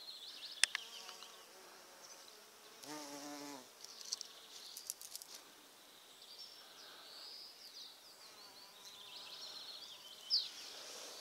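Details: Bumblebees visiting purple flowers and pollinating on an overcast day; a low droning buzz with stacked harmonics swells for under a second near the three-second mark, with fainter wingbeat hums before and after, a few sharp clicks, and quiet speech.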